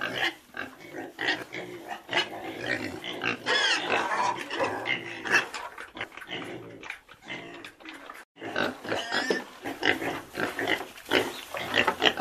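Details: Pigs grunting and squealing in a busy, overlapping chorus: short broadband grunts repeated rapidly, with louder harsh screams rising around four seconds and again after nine seconds, several animals calling together.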